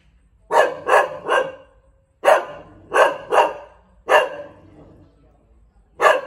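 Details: Thai Bangkaew dog barking in short clusters of two or three sharp, harmonic woofs separated by pauses of over a second, the barks echoing slightly in a quiet setting.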